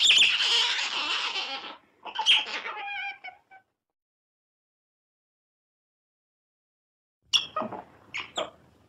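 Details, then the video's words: Otter squealing harshly for about two seconds, then a few shorter squeaks, a long silent gap, and a final cluster of sharp high chirps. "Otter Sounds"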